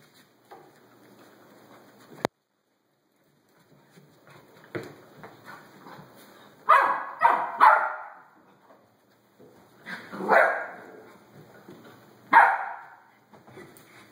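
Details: Five rescued mixed-breed puppies from a litter of twelve, with a Rat Terrier, in April 2013 near Tampa; short yips, whimpers and small barks come in scattered bursts between quiet gaps, with a sharp click early on.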